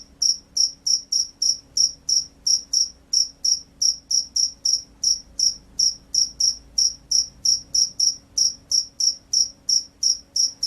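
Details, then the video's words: Field cricket calling steadily, a rice-field cricket praised as a loud, vigorous singer: high, shrill chirps in quick double pulses, about three per second, evenly spaced over a faint low hum. "SUARA JANGKRIK SAWAH"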